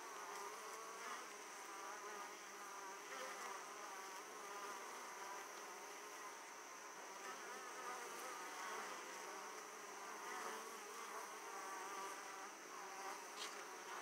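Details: Italian honey bees arriving at their opened hive carrying abundant pollen; unbroken, many-layered droning buzz with gentle rises and falls and occasional brief louder passes of single bees.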